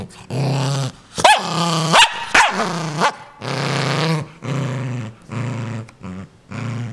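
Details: Dog Ninja guarding its new toy and wanting nobody near: deep growls in uneven bursts, broken mid-clip by a few higher snapping yelps and barks, then more rumbling growls.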